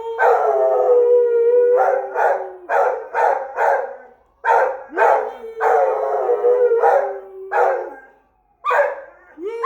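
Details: An Australian Shepherd howls at a passing fire truck carrying the Easter Bunny, in long, mournful held notes broken by short, choppy yelps.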